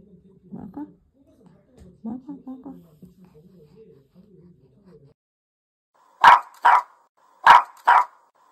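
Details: Pet puppy Sasha guards a dog chew. Soft human speech comes first, then four sharp, loud barks in two quick pairs, each pair about half a second apart.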